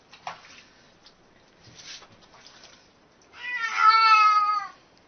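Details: Domestic cat 'talking': soft scattered sounds, then one loud, long, even meow over a second in length near the end, in a small indoor room.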